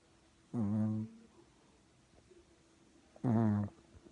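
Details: Sleeping puppy snoring: two low, droning snores about half a second long with a buzzy, layered tone, spaced nearly three seconds apart, in a quiet room.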